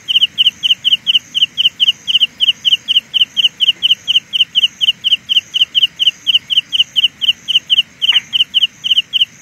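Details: Sound illusion from a Carolina ground cricket, its shrill double-pulsed chirps repeating quickly and evenly, with a thin higher trill above, plus one brief click near the end.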